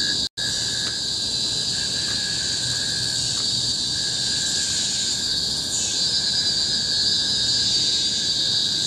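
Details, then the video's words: Cicadas singing together on Bukit Timah Hill, a tropical forest in Singapore, 2017: a dense, monotonous shrill hiss dominates throughout, swelling slightly midway, with only a faint lower tone and one short silent gap at the start. "Symphony of the Cicadas in Bukit Timah Hill-Singapore"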